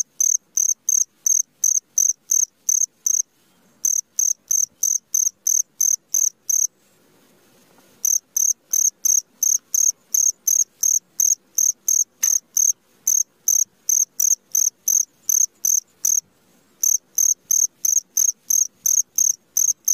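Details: Midnight cricket call of short, shrill, high-pitched chirps repeated about three times a second in runs, broken by brief silent pauses of around one second, with otherwise quiet surroundings.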